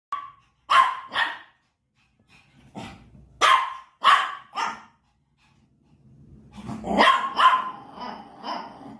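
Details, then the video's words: An angry Shih Tzu puppy barking: sharp barks in pairs and small clusters separated by short silences, about eight barks in all, with a rougher, growly burst of barks near the end. "Shihtzu puppie barking🥵 | Angry Shihtzu dog"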